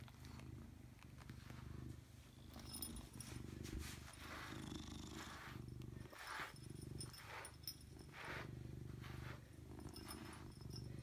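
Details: Pet cat named Robbie Coltrane, 2018, giving a long continuous purr: low buzzing rumble swelling on inhale and exhale over several breaths, faint rustling and light handling noises above.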